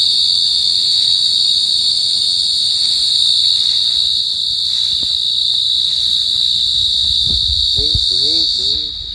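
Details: Teleogryllus oceanicus, the Pacific field cricket, gives a continuous shrill trill that stays level throughout. Near the end, soft low thuds and a short run of faint wavering chirps join in.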